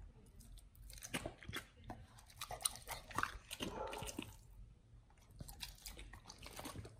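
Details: Dogs fed raw chicken breast and duck feet indoors, recorded close: softer, moist chewing and intermittent crunches, with brief pauses between bites and a faint background hum.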